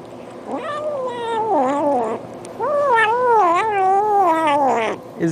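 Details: Domestic cat vocalizing while eating, two long wavering harmonic moans with bends and dips, almost continuous, loud and close, over faint background hum.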